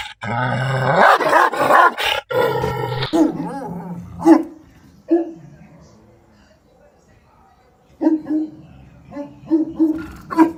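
A Pit Bull Terrier gives strange, drawn-out, yodelling barks that slide up and down in pitch.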